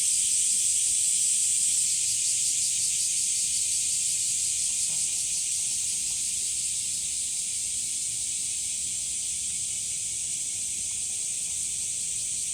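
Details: Summer cicadas at Umami Hills Park beside sunflowers in hot weather, an unbroken shrill buzzing wall of sound with a faint pulsing texture, slowly easing slightly in loudness toward the end.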